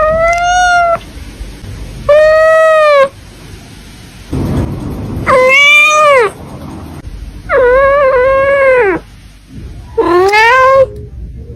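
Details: Cats at a cattery meow repeatedly: five clear, harmonic meows roughly every two seconds, some arching up then down, one wavering and flat, between bursts of low background rumble.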